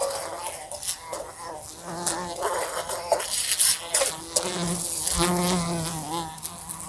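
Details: Indoor fly circling a room lamp and knocking against it: loud wavering buzz rising and falling in pitch, broken by several crisp clicks and taps from collisions.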